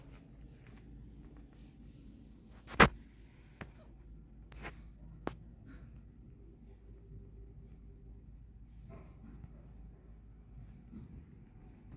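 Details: A quiet indoor room with low hum and a few sharp clicks and knocks, with no animal voice.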